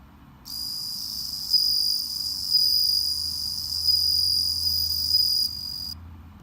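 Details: High, clear ringing song of home-raised bell crickets that recently started to sing, a steady shimmering trill lasting about five seconds with slight pulsing swells, a soft low rumble beneath.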